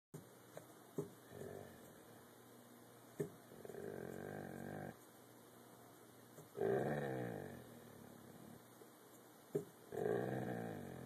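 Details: Hobbles the dog growling on hand command while teased and rewarded with biscuits; three separate low, rough, harmonic-rich growls of about a second each, with quiet pauses and soft clicks between them in a small room.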